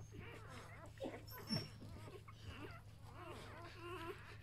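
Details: A B litter of Samoyed puppies, a day old, squeal in wavering, quavering whines rising and falling in pitch, several at once, with rustling, a faint thump and a low steady hum.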